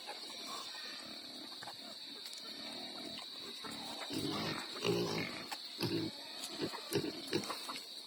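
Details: Native pigs feeding on young coconut (buko): low, rough grunts and chewing noises cluster in the second half, over a constant high insect drone and scattered clicks.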